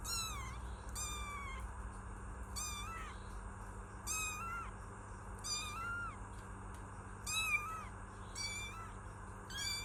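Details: Kitten meowing: about nine repeated meows in ten seconds, each a high rising-then-falling wail with a bright harmonic stack, spaced a second or so apart, over a steady low hum and broadband background hiss.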